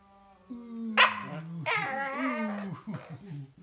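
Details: A corgi makes squeaky, chirping yelps that slide and warble in pitch, with crazy noises and chirping vocalizations.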